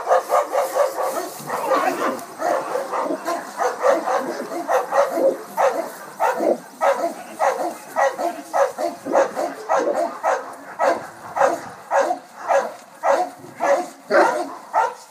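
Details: Two Boerboels working in muzzles bark to stop an intruder: deep, rough barks in a rapid, uneven volley, about 100 per minute, overlapping at first, then separating into distinct barks toward the end.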